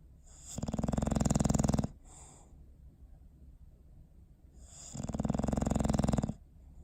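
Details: Bowser, a pet dog, asleep on December 21, 2019, snoring in two long, rasping, low breaths, each about one and a half seconds, separated by a quiet pause of roughly three seconds.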